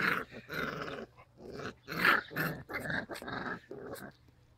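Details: Labrador Retriever puppies growling indoors: rough, pulsed growls come in short bursts about every half second, with one louder burst near the middle.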